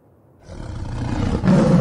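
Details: A tiger (Panthera tigris) gives a deep, rumbling roar that swells from silence and grows louder.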